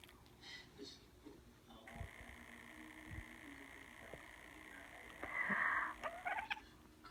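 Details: House cat, said to hate people coughing, gives a drawn-out, strained meow about five seconds in after softer rustling and faint background noise indoors.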